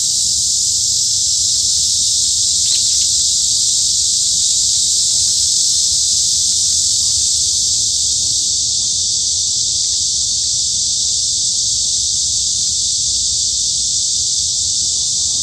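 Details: Cicadas singing in a Daejeon forest, Hanbat Arboretum, Korea, at the height of summer: an intense, even, high-pitched electric buzz running without break, a brief faint click near the third second.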